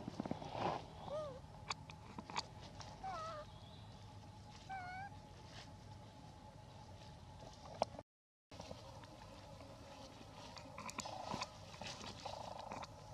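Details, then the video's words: Female hybrid monkey requesting food, giving a series of short, clear, whistled coo-like calls with rising and falling contours, several in quick succession, over a steady low hum and faint background noise. "Requests Foods By Her Beautiful Sound"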